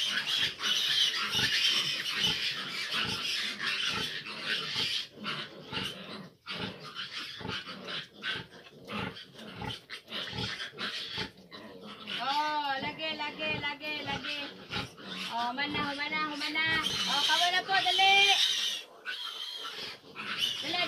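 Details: Fifteen piglets, grown big, jostle around a sow that struggles to nurse them. Quick rhythmic grunting pulses repeat over two to three per second, then give way to high, wavering harmonic squeals in rising and falling bursts near the end.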